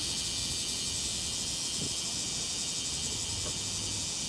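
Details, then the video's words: A bear cicada at Tsukudabori, Japan, on 17 August 2018 at 9:58 am sings a loud, dense, high-pitched buzzing drone that never lets up; its singing style reportedly differs from Kansai cicadas. "佃堀のクマゼミの鳴き声（高音質）"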